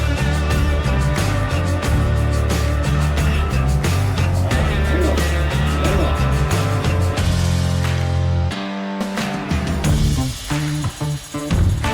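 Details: Loud rock music plays throughout, with a short break near the end and no animal sounds.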